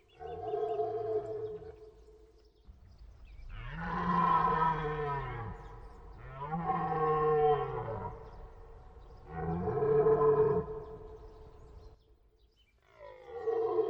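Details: A deer's deep moaning roars come four times over about fourteen seconds, each a drawn-out harmonic bellow of around two seconds.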